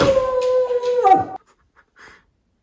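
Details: Female Samoyed named Milk, indoors, whining while being scolded by her beloved owner for the first time: a loud, steady, high drawn-out whine holding one pitch for over a second, then bending down and cutting off, followed by near silence.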